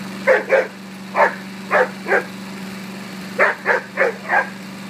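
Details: Rhodesian Ridgeback named Rain barking at a lawnmower; sharp barks in pairs and short runs over a steady low engine hum, with brief pauses between bursts.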